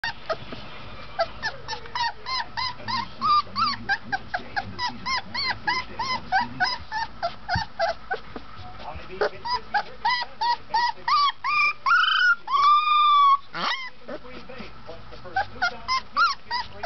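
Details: Golden Retriever puppy, 20 days old, whining in a dense run of thin, arched whimpers about three per second, each rising and falling, with a few longer wavering whines near the middle over a low background murmur.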